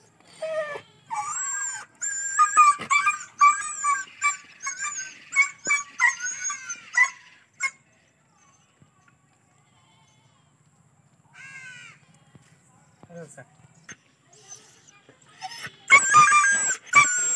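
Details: Injured dog found lying on a road, badly wounded and unable to walk, whimpering while being treated: bursts of high, wavering whines and yelps over the first eight seconds, then quiet, rising again at the end, with faint music.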